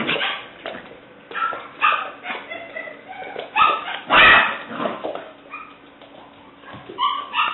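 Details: Female English Springer Spaniel puppy at seven weeks old, black/white tricolor, letting out irregular squeaky yelps and whiny barks with short pauses between bursts over a faint background hum.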